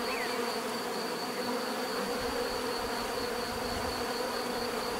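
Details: Bees in nature giving a steady, dense buzz that holds evenly throughout, layered hum with a thin constant high whine above it.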